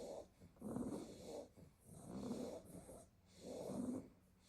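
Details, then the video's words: A basket of Staffordshire Bull Terrier puppies, worn out from playing in the garden all day, snore in three slow, evenly spaced raspy breaths, each a soft nasal rumble separated by near silence. "A basket full of snoring staffy puppies"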